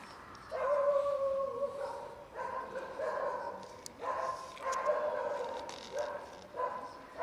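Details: Cats and kittens almost raided by a pregnant dog give a run of drawn-out tonal meows, about six calls of roughly a second each, steady or slightly falling in pitch, against a faint hissing background.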